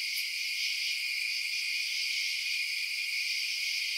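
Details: Night-time cricket chorus, a continuous high-pitched buzzing trill at an even loudness throughout, with a faint brief tick near the start and no other animals or voices.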